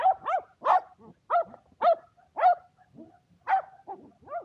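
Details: Two Shetland Sheepdogs, Power and Beat, excited during frisbee play on a clear February day: quick high-pitched barks repeated roughly every half second, some clipped and yelping, with no other sounds.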